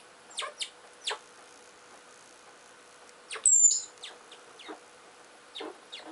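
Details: Scattered scraping clicks of digging, then a short, very high, slightly falling whistle from a Richardson's ground squirrel in a fight at the burrow, with more scratching after it.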